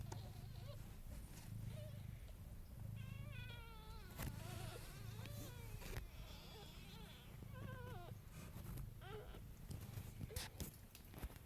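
A low, steady, buzzing purr-like rumble from nursing kittens and their mother, with a person talking softly.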